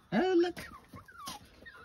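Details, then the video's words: Puppy on a farm in County Kilkenny, Ireland, giving a short rising then level whine followed by faint squeaks, with a woman's voice nearby. "puppy antics & chirps when they meet impassable step"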